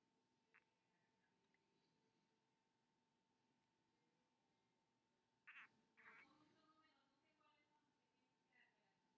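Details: A female eyelash crested gecko gives a few brief, scratchy chirps over a steady faint hum while wiggling her tail as her owner taps gently on her back.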